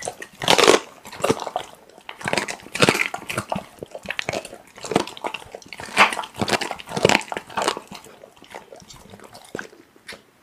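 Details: Raw meat being chewed by a pit bull: loud, sharp crunching and tearing bursts repeat roughly every second, rising and falling in strength, close up in a quiet indoor setting.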